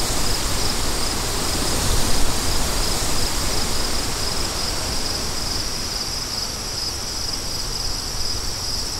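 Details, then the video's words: Continuous high cricket trilling in rapid pulses, partly masked by a loud, roaring wind that surges early and then settles into a steady rush. "Crickets & Wind For DEEP SLEEP"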